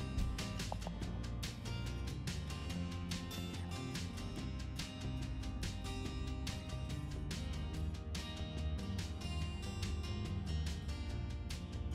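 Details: Steady background music with strummed guitar and a strong bass beat plays throughout, with no animal sound heard.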